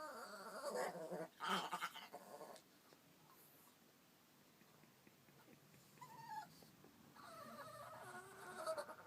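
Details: Indoor Chihuahua complaining about another dog hogging the bed: rustling and bumping noises early on, then several wavering, bleat-like gurgles later, the last one drawn out over a couple of seconds.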